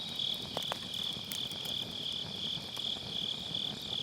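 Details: Autumn-night grass insects beside a round fire pit, taken on a Sennheiser MKE600 with low cut: a continuous high pulsing chirr that never pauses, broken by a few loud snaps from the crackling wood fire.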